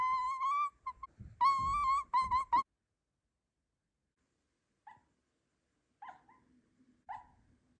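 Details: Miniature Dachshund puppy whining: a run of high, clear, slightly wavering whines in the first half, then silence, followed by a few short, faint whimpers near the end.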